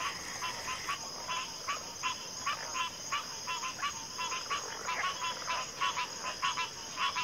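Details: Frog chorus: short raspy croaks repeated several times a second, overlapping into a steady clatter, over a constant high insect whine.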